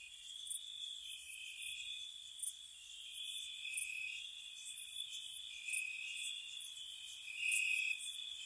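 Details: Crickets chirping through a spring night at a cottage: a steady, shimmering high trill underneath, topped by repeated rapid bursts of very high, buzzy chirps, slightly louder toward the end.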